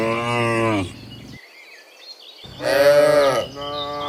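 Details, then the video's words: Cattle heading back from the field to the pen in the morning, a herd of dozens: a short harmonic moo, a quiet gap, then a louder, rising and falling moo, with faint chirps in between. "Sound Dozens of Moo Cows in the Morning, Returning from the Field to the Pen, the Sound of Cows"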